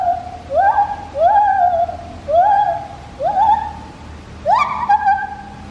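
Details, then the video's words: At Taipei Zoo, a white-handed gibbon gives loud, hooting whoops that swoop upward and hold, repeated about once a second. "Gibbon call 白手長臂猿阿寶叫聲 (悲壯版)"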